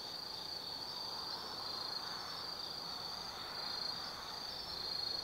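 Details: Night chorus of autumn forest insects at Tsukimi no Mori, Nanno-cho, Kaizu, Gifu, Japan: continuous high-pitched ringing trill with scattered brighter chirps, layered over a low wash of distant environmental hum.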